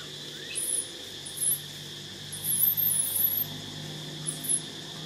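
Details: A lost baby monkey, scared and hungry, calls for help with piercing, very high squeaks that waver up and down in short bursts a second or so apart, over a steady low hum and faint whine.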